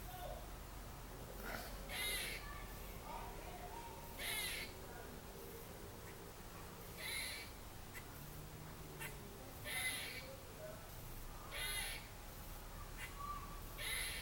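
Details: A squirrel in a tree at a trailer park, Tuesday, 30 December 2014, repeats harsh, raspy barks roughly every two to two and a half seconds, about six calls, over a low background rumble.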